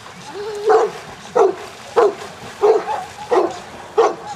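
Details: Layla, a Newfoundland dog, at the section C water test at Grangewater Tests: six deep, clear barks in a steady rhythm, roughly every two-thirds of a second, over a quiet background.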